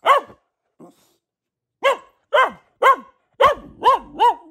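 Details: Female Boxer named Luna, a household dog: one bark, a soft short yelp, a second of quiet, then five strong barks in quick succession, each ringing with harmonics and dropping slightly at the end.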